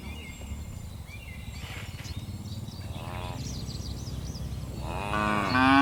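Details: Tame cattle, part of a herd of dozens bounding down a mountain slope. Two brief lowing moos rise and fall a couple of seconds apart over steady outdoor noise, with high bird twitters in between.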